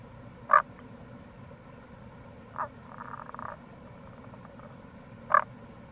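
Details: Tago's brown frog (Rana tagoi), wild, calling in April by a gorge on the Kamo River, Itoshima, Fukuoka, Japan: three brief punchy croaks spread over the clip and a buzzy pulsed trill after the second, against a continuous low rushing background.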